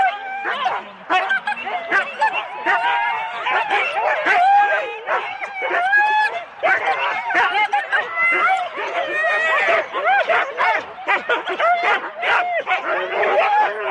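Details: Husky sled teams of four dogs at the start in Rendlesham, January 2016, recorded on analogue cassette tape: dense overlapping excited yips, barks and rising whines from many dogs, almost unbroken throughout, with some human voices mixed in.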